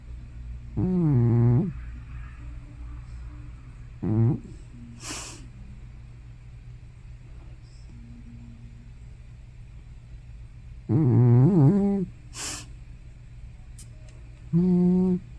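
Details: Sleeping grandmother cat Hana, thought to be over 15, gives loud snore-like or sleep-talk sounds at home. Deep, wavering voiced groans come in separate bursts with long quiet gaps. A few sharp clicks fall between them.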